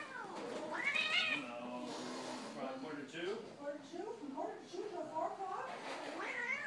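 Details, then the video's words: Two domestic cats, one dark and one spotted, battling on Thanksgiving; drawn-out, wavering harmonic yowls that rise and fall repeatedly, with a few sharper higher cries, and people talking faintly in the background. "Cats do battle on Thanksgiving"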